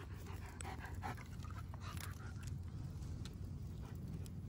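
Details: Odin, a German Shepherd, pants while playing with his favorite toy, a log: quick breathy puffs follow one another over a steady low rumble in the background.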